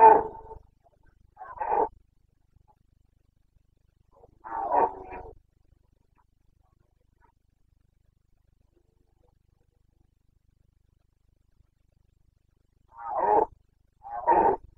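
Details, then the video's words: Carpathian stag bellowing in the Bucovina rut (boncănit), breeding season 29.09.2022: powerful, coarse roars in pairs and singles, separated by long silent gaps, with two close roars near the end. "Boncănit / Carpathian stag Breeding season 29.09.2022"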